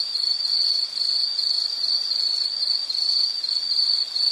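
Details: Insect chirring in nature ambience: a piercing high tone pulsing rapidly and evenly, several beats per second, with slight wavering in loudness and nothing else audible.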